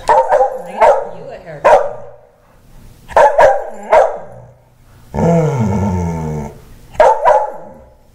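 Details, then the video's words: Wheaten Terrier Mickey throws a tantrum after his haircut: bursts of harsh, punchy barks in clusters of two or three, broken by a stretch of a person talking, then another bark pair at the end. "Mickey the Wheaten Terrier Throwing a Tantrum"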